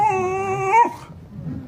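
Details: A pet dog whines to wake its sleeping owner: a single high, steady, tonal whine lasting under a second, bending slightly upward before breaking off, then only quiet indoor room noise.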